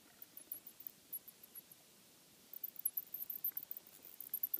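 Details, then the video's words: Bats roosting in a house attic, heard during an inspection for noise: quick bursts of very high, thin squeaks and chirps in rapid series, with a pause in the middle before a denser run resumes. The room is otherwise quiet. "Bats in the attic"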